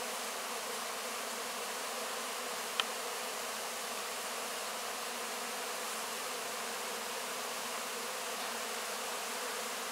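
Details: Close-up of honey bees cleaning honey from wax cappings after a harvest: an even, constant buzzing hum from many bees, interrupted only by one sharp click near the three-second mark.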